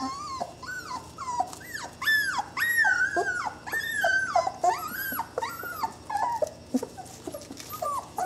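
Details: Twenty-day-old Saluki puppies whining in a steady string of arched, rising-then-falling squeals, roughly two per second. Some notes are clear and tonal, others strained, with a faint low hum underneath.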